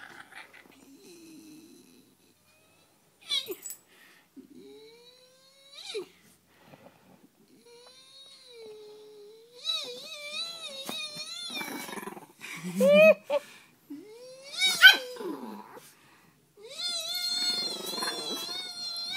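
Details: Peka-Pom dogs weighing five pounds, Sasha and Sissy, provoked indoors by a man making devil horns; drawn-out whining growls that rise and waver, broken by sharp yips, with quiet gaps between bursts.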